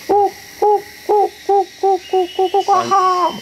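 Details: Gibbon in forest giving an alarm call after an earthquake, a regular song warning others: loud hooting notes repeated about every half second, then quickening into a rapid rising-falling flourish.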